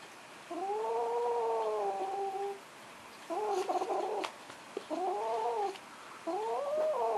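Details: Foster kitten indoors growling at a blanket: long, wavering, moaning growls with a nasal rising-falling tone, four drawn-out bouts of one to two seconds separated by short pauses.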